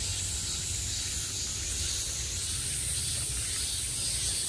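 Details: Cicadas heard from all sides in peak summer: a dense, steady, hissing buzz that stays level and unbroken throughout, with a low rumble underneath.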